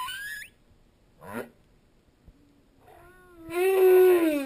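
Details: Humpback whale singing while a school of opelu fish passes by; a high rising squeal and a brief swept cry, then low harmonic moans building into a loud, sustained, slightly wavering tone.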